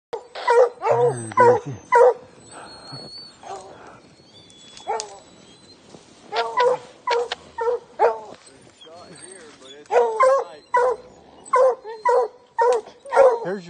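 A hound bays in loud, ringing bursts at a treed mountain lion, with a person speaking nearby.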